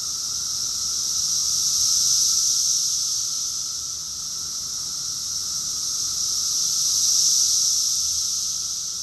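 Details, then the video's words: June 2021 summer chorus of cicadas in Rockville, Maryland, USA: an unbroken, piercing hiss-like buzz rising and falling in two broad swells about five seconds apart. "Cicadas song || Cicada's chorus song"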